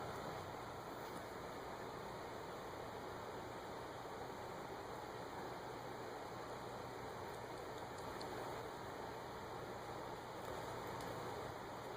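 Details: Constant broadband hiss, like a fan or rain, fills the whole recording without any other distinct sound.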